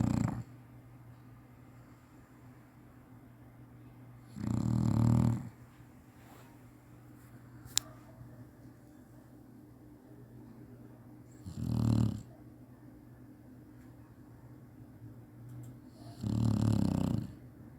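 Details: Chinese Shar-Pei dog napping and snoring as it usually does: low, rough, rattling snores about one second long, repeated at uneven gaps of roughly five to seven seconds, with quiet breathing between and one faint click.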